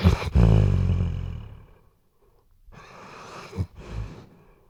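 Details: Sleeping Weimaraner snoring indoors, recorded with a RODE NTG3B microphone: one loud, deep rumbling snore with a low harmonic buzz that fades over about two seconds, then softer breathy exhalations.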